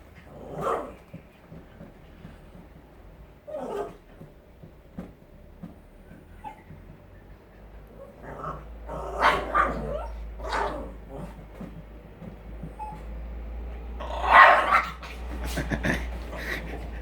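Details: Jack Russell Terrier puppy playing with balloons indoors, giving short, scattered barks and yips at uneven intervals, with balloon rubbing and squeaks and a person's encouraging voice in between.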